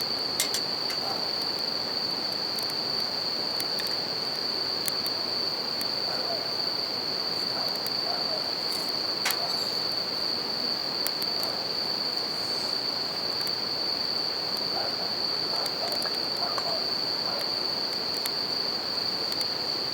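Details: Bell crickets singing at night beside a campfire and river: a steady, high ringing tone runs unbroken throughout. Sharp crackling pops from the fire and a soft rushing of river water sit beneath it.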